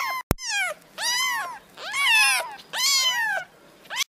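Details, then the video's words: A sharp click opens, then meowing kittens give four long, wavering, high-pitched cries in quick succession indoors. "meowing kittens"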